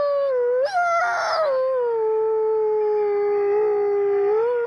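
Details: Captive gray wolves at a wolf conservation center in South Salem, New York, howling together as a pack: one loud, steady, mournful howl held on a single low pitch, briefly broken by a rising yelp and a rougher voice.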